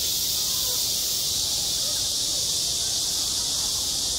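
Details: On a school playground in high summer, massed cicadas produce a constant, piercing, sizzling drone without pauses or changes in loudness.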